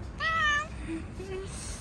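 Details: Fluffy stray cat living on the street, ready to be petted, gives one short, clear meow lasting about half a second, with a low hum of street background and faint human voices afterward.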